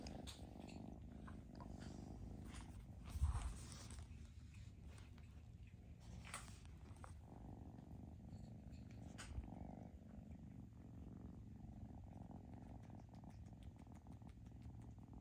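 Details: Foster kitten purring during a socializing session, a steady low rumble lasting the whole stretch, with a brief louder thump near the start and scattered soft rustling from handling.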